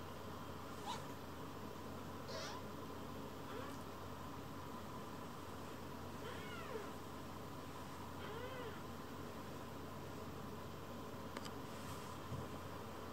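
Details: Rescued baby kitten calming on a lap and seeking affection, with fellow kittens Pon and Chiro climbing on too; a few soft, faint meows spaced apart, along with small clicks and a low steady hum.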